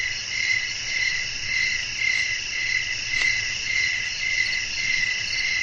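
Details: Crickets singing at night in a soothing natural setting, repeated high chirps at a brisk steady pace over continuous shrill trilling, with one brief click and a soft low background rumble.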